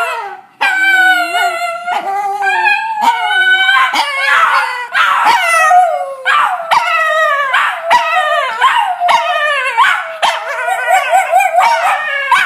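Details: Cairn Terrier and Jack Russell Terrier howling together to greet their owner arriving home; sustained overlapping howls with many bright harmonics, wobbling pitch and choppy yelping breaks, nearly continuous for the whole stretch.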